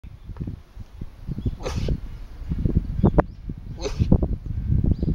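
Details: An alpaca named Yuuki at Nasu Alpaca Farm, 16 April 2011, sneezing again and again. Two sharp hissing bursts about two seconds apart rise above a constant low rumble of wind or handling noise.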